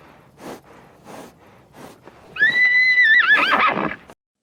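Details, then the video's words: Horse giving a few soft, breathy puffs, then one long high whinny that holds steady, wobbles, and breaks into a rough, shaky ending. "SOUND OF HORSE NEICHING"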